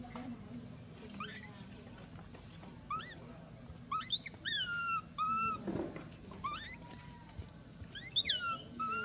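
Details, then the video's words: Infant monkey Mila, after bites and rough handling from her mother, cries in sharp upward-sweeping squeals that drop into short level whines, in bursts separated by quieter gaps with low background noise. "The crazy mother monkey bite and mistreat poor baby Mila, Mila very crying loudly"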